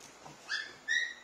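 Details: Three half-Labrador mixed-breed siblings, small, medium and large, playing together indoors; two short, high, whining squeals with ringing overtones about half a second apart, with little else audible.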